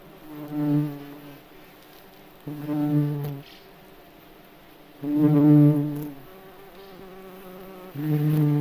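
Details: May beetle flying in a forest, its wings giving a low, droning, harmonic buzz in four separate bursts of about one second each, with quiet pauses between passes.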